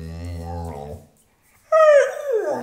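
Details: A pit bull asking for food: a woman's voice speaks, then after a pause the dog gives a short, bright howl that slides downward into a rough whine.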